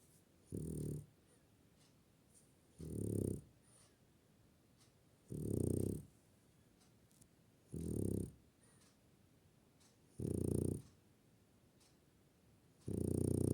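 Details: A French Bulldog snoring indoors: deep, rumbling low snores with a breathy hiss on top, one roughly every two to three seconds, separated by quiet pauses.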